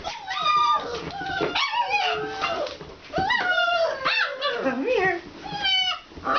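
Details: Several young Alaskan Malamute puppies from Kalamals Kennel, first time outdoors, whimpering and yipping together; wavering, bending whines overlap with short yaps, and human voices murmur in the background.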